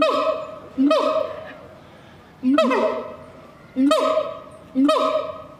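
A siamang gives loud, honking barks, each with a quick upward sweep, spaced one to two seconds apart.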